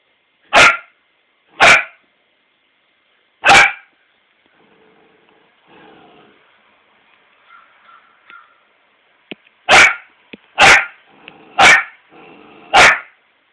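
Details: Emma, a four-month-old Australian Shepherd puppy, barking at her reflection in a mirror: seven sharp, loud barks in two bursts, three early and four closing, with soft whines and quiet voice murmurs in the pause between.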